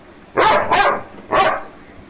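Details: Labrador Retriever named Simba gives three loud, harsh barks: two close together, then a third after a short pause, indoors among family voices.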